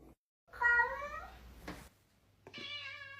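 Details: Pet cat meowing indoors in a talking-cat compilation: a loud, wavering meow that slides downward, a brief knock, then a second, quieter meow held at an even pitch; a low steady hum runs throughout.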